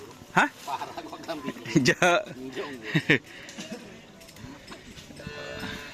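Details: Karapan sapi racing bulls of Team Lanyala 99 training at the Asemanis field in Pamekasan, Madura: several low, harmonic lowing calls around the middle, mixed with people talking nearby.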